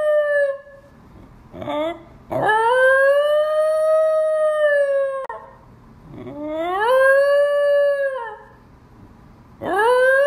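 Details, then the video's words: Seven-month-old black Basenji pup giving his first voluntary yodel, recorded August 19th, 2018: long sustained tonal howls with rich harmonics, rising then holding steady for about three seconds, repeated three times with quieter breaths between. "Basenji Yodel"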